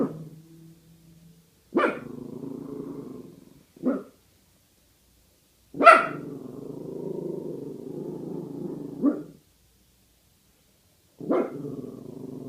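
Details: Pasa, a female guard dog, disapproving of and skeptical about a bag hanging nearby: sharp single barks, each trailing into a long, low, drawn-out grumbling moan, with quiet pauses between outbursts.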